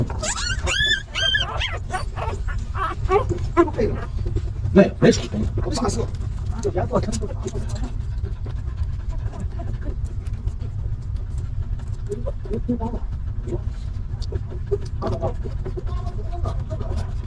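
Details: Stray mother dog with her litter of puppies, living in a rough place, as one of her pups is picked up: a high, wavering whine with short yips in the first seconds, then a man speaking Chinese over steady low traffic rumble.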